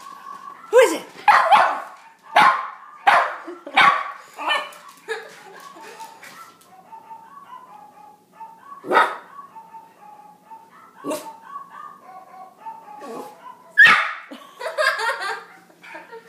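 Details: Jack Russell chihuahua mix, four years old, barking at the dog in Wii Music: a run of sharp, high yaps spaced about a second apart, then a quieter spell with game music, and further isolated barks, while a woman talks over it.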